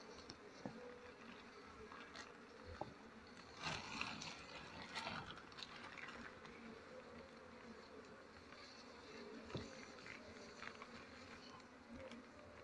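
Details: Honey bees buzzing as their nest is harvested for honey when durian and other trees flower; a continuous droning hum with brief louder swells, plus light tapping and rustling.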